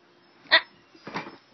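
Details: Ellie, a pet dog, playing with her owner's sister, gives one sharp, loud bark followed by a softer, rougher huff about half a second later.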